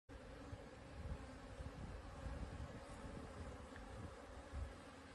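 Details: Buckfast honey bees out of the hive on 30 January 2023 at 8°C give a steady, low droning hum from many wings beating at once, with a rumble of wind.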